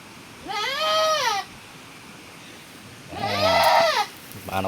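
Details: Goat recently given birth in the rainy season: two drawn-out wavering bleats, the second rougher with a deeper undertone, followed by a short start of another call.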